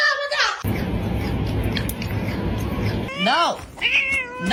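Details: Domestic cat giving two rising-then-falling meows near the end, after a stretch of loud rumbling background noise, with a human voice mixed in.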